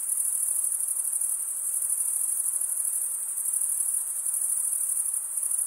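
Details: Steady shrill chorus of crickets, the males rubbing wing against wing, a constant high buzzing trill with a faint pulsing texture over a quiet hiss.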